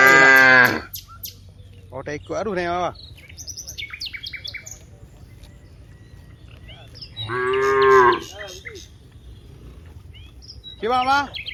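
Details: Dozens of cows in a wide rice field give loud, drawn-out moos, with small birds chirping faintly in the gaps.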